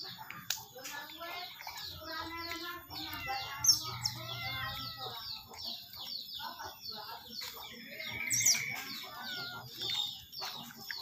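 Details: Otter calling while being fed: dense runs of high, shrill chirps and squeaks in quick overlapping bursts, some with stacked harmonic tones, continuing throughout with brief louder peaks.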